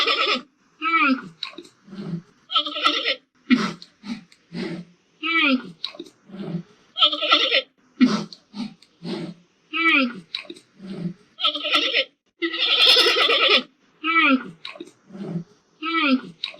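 A giant panda gives a run of short, nasal, goat-like bleats with brief pauses between them.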